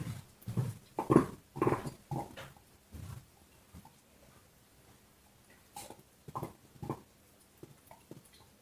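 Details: A dog chewing a bone indoors: irregular bursts of crunching and gnawing, clustered in the first three seconds, then quieter gaps with scattered crunches near the end.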